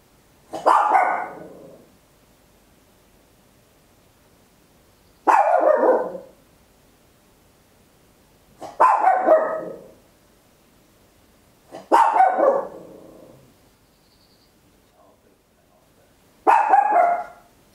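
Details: Papillon, a tiny dog, barking very loud at home, recorded in stereo with a handheld recorder; five harsh barks separated by gaps of about three to four seconds, near-silent background.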